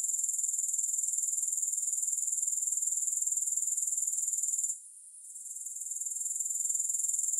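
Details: Grasshoppers keep up a high, sizzling pulsed trill that dips sharply near the fifth second and swells back to its earlier level, with no other sounds.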